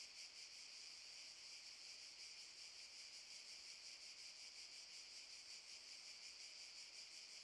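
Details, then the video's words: Continuous high, hissing drone of cicadas in a Zadar park, Šuma Musapstan, August 2014, throbbing rapidly and evenly throughout with no pauses and nothing else audible. "Cicadas chirping"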